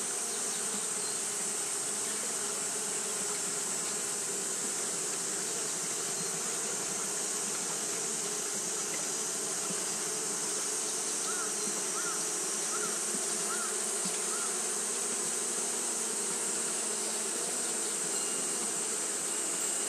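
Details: Japanese honey bees fanning continuously on a hot day: a dense, steady buzzing drone with low humming layers and a constant high hiss, unchanging throughout, with a few faint short chirps midway.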